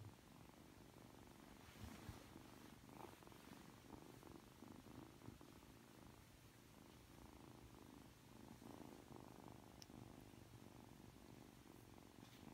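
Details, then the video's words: Aki, a three-month-old Ragdoll kitten, purrs softly and continuously while being affectionate just after waking. The low, rumbling purr pulses with each breath in a quiet indoor setting. "[Ragdoll cat] 잠에서 막 깨서 애교부리는 아키💕 寝起きで愛想をふるまうあき！"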